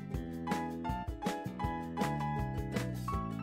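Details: Instrumental music fills the recording, with sustained harmonic tones and regular percussive beats roughly every half second. No animal voice can be picked out.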